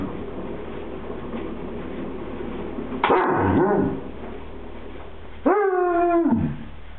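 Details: A happy Basset Hound gives drawn-out, wavering howl-like vocalizations, as if trying to tell its owner something.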